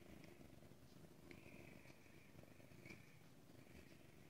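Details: Purring from a female Ragdoll cat at a cage-free home cattery in central Kansas; a dense low rumble continues under a faint high steady tone, with a woman calling the cat nearby.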